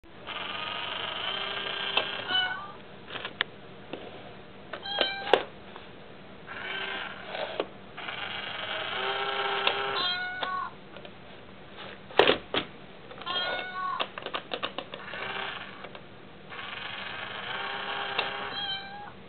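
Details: Mayu, a pet cat, seems disturbed by the tiny kitty of an Itazura coin bank toy and gives several drawn-out, harmonic meows, some rising and falling, amid clicks and knocks of the toy indoors.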